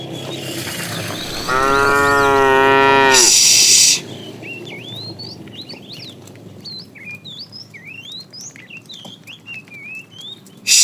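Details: Tame cows being driven to green pasture in the morning give a single rich, level moo of about two seconds, then a short hiss, while many small birds chirp and whistle afterward.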